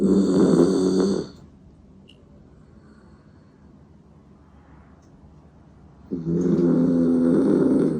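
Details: Old dachshund-poodle mix Kokomaro, aged 16 and battling stomach cancer, snoring in his sleep at home; two long, loud, rattling snores open and close the stretch, separated by about five seconds of quiet breathing.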